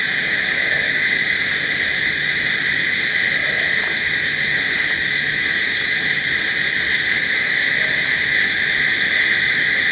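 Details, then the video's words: Night crickets in a continuous chorus, a constant shrill ringing that holds steady throughout, with faint scattered higher ticks and no other clear sounds. "Sounds of Night Crickets"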